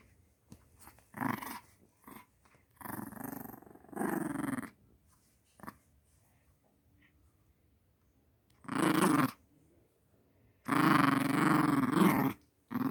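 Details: Pet dog growling indoors at home: rough, throaty growls in several bursts of one to two seconds, the longest near the end, separated by quiet gaps with faint clicks.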